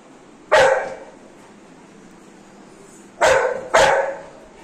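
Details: Happy Golden Retriever female just back from a bath barks three times: one loud single bark, a long pause, then a quick pair about half a second apart, in a quiet room.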